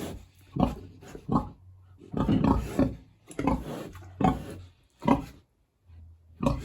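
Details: A hungry big pig at its house in a village on a warm autumn day grunts and snorts in short, rough bursts, one after another.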